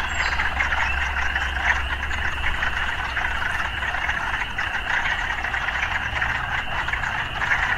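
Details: A steady chorus of many frogs with occasional sounds of urban life: rapid overlapping croaks fill the middle range without pause, while a deep engine-like drone runs beneath throughout.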